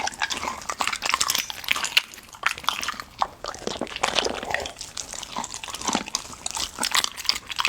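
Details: Golden Retriever eating raw meaty bones, trying ostrich heart for the first time, recorded close up indoors; dense wet crunching and chewing clicks throughout, with irregular louder bites and licking, no barking or other voices.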